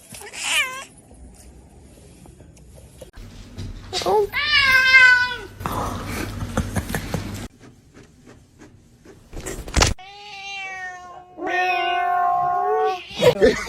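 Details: Domestic cats in a compilation of cute cats meowing: several separate harmonic meows, some drawn out and wavering, others short and rising, scattered across the recording with laughter and speech from people between them.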